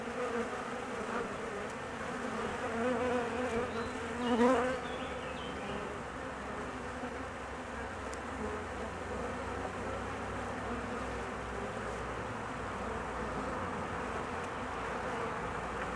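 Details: Anxious honey bees at their colony during the queen's 45-minute absence on a mating flight: continuous low droning buzz with stacked overtones, a brief louder swell near four seconds, then even humming.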